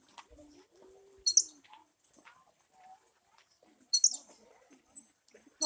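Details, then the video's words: A squirrel met while walking in a jungle "sings" with three sharp, very high, bird-like chirps a few seconds apart, with faint murmuring voices and soft background noise. "A squirrel making bird sound."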